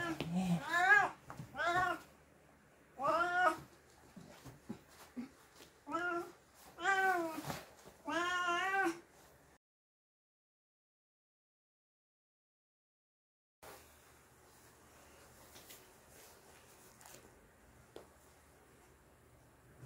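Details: Pet cat during a bath, meowing repeatedly: loud wavering, complaining meows roughly every second or two for nine seconds, with some speech between, then silence and faint room noise.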